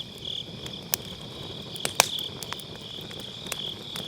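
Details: High, ringing insect chorus from grass insects on an autumn night, recorded by a round fire-pit bonfire on a Sennheiser MKE600 with low cut, with several loud crackles and pops from the burning logs.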